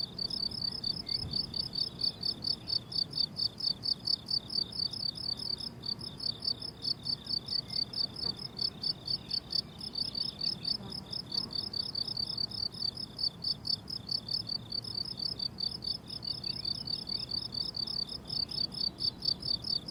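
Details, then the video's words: Wild crickets chorusing on a flowering summer meadow, a continuous run of quick, evenly pulsed high-pitched chirps with a faint overtone band, over a gentle low background hum and no talking or music. "Relaxing Cricket Sounds on a Summer Meadow"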